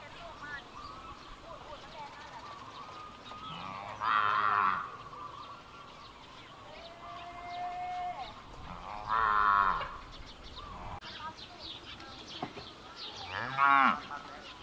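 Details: Calf calling for its mother: three loud, harsh bawling moos, each lasting under a second, spaced about five seconds apart, with fainter tonal calls and steady background noise between them.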